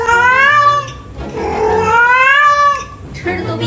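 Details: Domestic cat Yuanbao meowing insistently early in the morning indoors, asking for more food right after eating; two drawn-out, rising-then-falling meows, the second longer, followed by a brief sound at the end.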